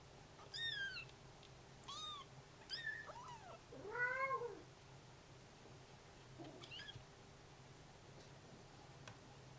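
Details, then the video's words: Bengal kitten calls to a mother cat who hears and answers: a run of high descending mews, then a lower, fuller rising-falling mew, followed by fainter mews and a soft thud. "Baby Bengal cat babies calling mummy"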